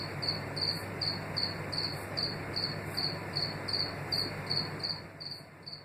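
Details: Chirping house cricket recorded in East Suffolk, UK, in 2018: bright, high, evenly spaced chirps about two and a half per second, each a brief ringing pulse, steady throughout with a faint low hum beneath.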